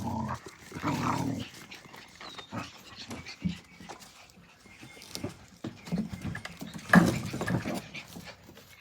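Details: Australian Cattle Dog puppies, Blue Heelers, playing together: low rumbling growls and grunts in bursts, loudest near the start and again around the seventh second, with panting and scuffling between.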